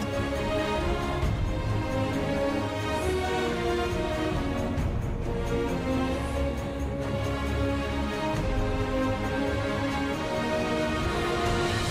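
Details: Only steady instrumental music is heard, with no animal sounds.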